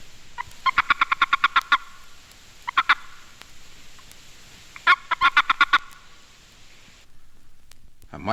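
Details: A male boreal toad, a species with no mating call, gives bursts of rapid, pulsed chirps: the warning chirp a male utters when seized by another male, which lets males tell their own sex from females at the breeding site.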